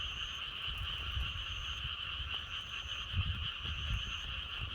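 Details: A thick chorus of croaking frogs forms a constant, buzzing trill, with a breeze blowing. Low wind gusts swell underneath, and a few thin high tones sound near the start and end.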